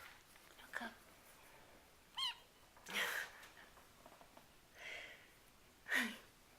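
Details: RagaMuffin kittens of the Winter Wonderland Litter, seven weeks old, indoors; short, high squeaky mews, four or five spaced a second or more apart, in a quiet room.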